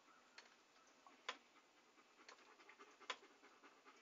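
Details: Dog panting softly in a relaxing ASMR recording: quiet, breathy huffs in a steady stream, broken by two sharp clicks, with no other sounds around.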